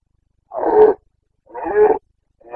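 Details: Boncănit, the rutting roar of a Carpathian red deer stag in Bucovina, 29 September 2022: loud, raspy bellows of about half a second repeated roughly once per second, each swelling then cutting off, a third beginning at the end.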